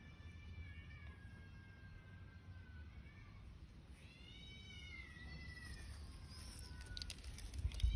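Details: Stray cat living outdoors gives a couple of drawn-out, harmonic meows that dip then rise, the second higher and shorter, over a steady low rumble of outdoor background noise.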